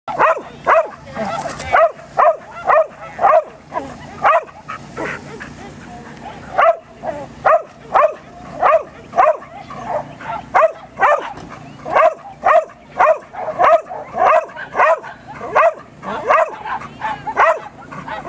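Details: Border Collie waiting its turn at lure coursing, going crazy while watching the lure bunny: rapid, high-pitched excited barks and yips, nearly two per second in irregular bursts, with a brief noisy patch near the start.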